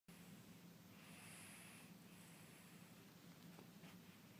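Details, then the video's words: Tequila, a small female house cat, snoring while asleep indoors as someone studies nearby; soft, breathy rasping breaths, two long drawn inhalations in a few seconds over a steady low room hum. "Snoring Cat"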